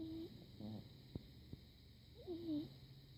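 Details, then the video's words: Barney, a pug puppy, snoring while asleep after a trip to the park: soft whistling nasal tones that bend and waver, broken by two brief sharp snorts, over a steady low household hum. "Puppy pug snoring"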